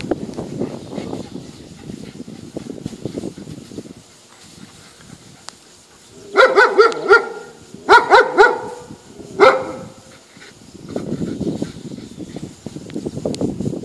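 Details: Poodle barks in three short bursts of sharp, repeated yapping barks in the middle, with rustling and handling noise before and after.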